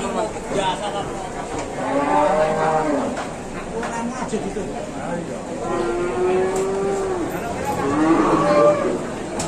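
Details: Aggressive cattle being unloaded from a truck, frightening its handler; drawn-out wavering moos rise and fall over a noisy background with people shouting and talking.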